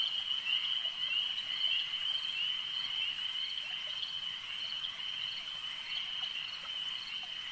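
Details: Lakeside frog chorus: many callers blend into a continuous high, ringing drone, with quick pulses repeating roughly twice a second over a soft, even background.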